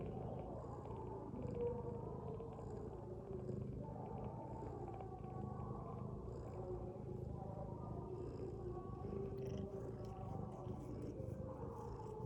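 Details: Sleeping mother cat lying with her kittens gives a continuous low, rough snore, breathing rhythm slow and even, with a few faint high clicks and rustles toward the end.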